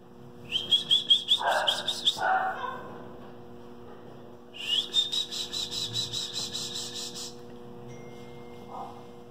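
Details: Male West Highland White Terrier puppy, two and a half months old, with international pedigree, gives long high-pitched whines with stacked overtones in two bouts, the second held about three seconds, with short lower yelps between.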